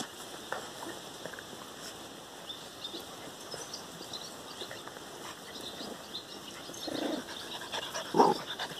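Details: Four-week-old puppies playing outside, barking at a tree; a couple of short, high yips stand out near the end over a steady hiss of outdoor background noise.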